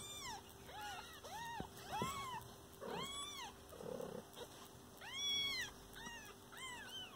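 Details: Kitten calling near its mother cat in a home: a rapid run of high arched mews, several overlapping, some louder and drawn out, with soft rustling between calls.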